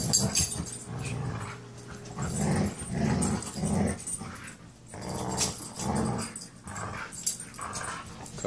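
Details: Eight-month-old Siberian Husky growling during tug-of-war play with another dog indoors: low, rumbling growls in uneven bursts roughly every two to three seconds, with scuffling and a voice speaking.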